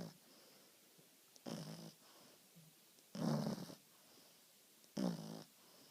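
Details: French Bulldog. A French Bulldog snores steadily, each breath a low, throaty rattle with a snorting edge. The bursts come about every one and a half to two seconds, with quiet pauses between them in a small, still room.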